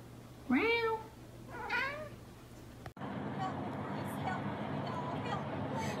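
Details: Kitten meowing twice in quick succession, a high falling mew followed by a softer one, over a low hum; after three seconds the scene changes to a noisy background with faint voices.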